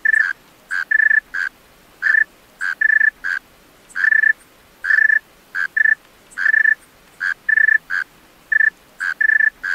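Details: Singing male tree cricket after dark, giving bright, pure-toned chirps in short bursts and pairs with uneven gaps, against a low, quiet background.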